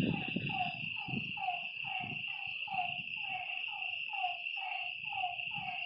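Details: Night chorus of frogs at a lake: clear, descending croaks repeated roughly every half second, with low thumping noise early on and a steady high-pitched insect buzz throughout.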